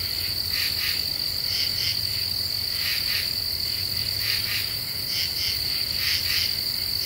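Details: Common true katydids singing at night under a half moon in deciduous forest after cicadas have stopped: raspy pulsed bursts in short groups repeating about every second, over a steady high insect whine and low hum.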